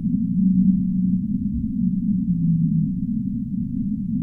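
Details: Humpback whale song for sleep: a few drawn-out low moaning notes, the last one sliding slightly lower, set against a constant deep wash of rumbling noise, the whole recording dull and filtered.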